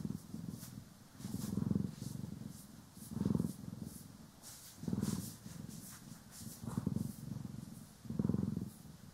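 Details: Steady low purring from pet cats Poki and Kiwi during a brushing and grooming session, stereo recording; rhythmic rumbling throbs rise and fall roughly every one to two seconds, with light brush rustles in the background.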